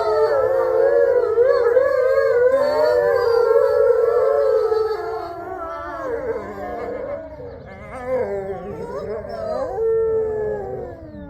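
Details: Captive gray wolves at Wolf Hollow howling together in the main enclosure: a loud opening of several wobbling, overlapping tones, thinning after six seconds into softer, scattered howls and short breaking yips that rise again near the close.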